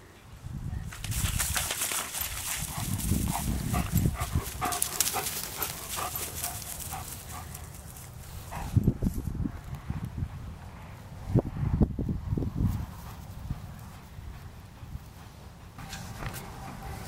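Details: German Shepherd Viking Ruen vom Theishof, called Rue, working outdoors retrieving trash blown into a pasture. Quick breathy panting, about three to four breaths per second, is loudest early on. Low wind rumble runs underneath, with scattered thumps later.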